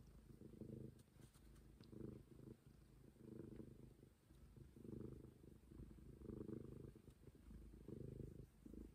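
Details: Steady purring from the stray cat Momi, deep and throbbing, rising and falling in regular breath cycles about every one and a half seconds, with a few soft clicks in a quiet room.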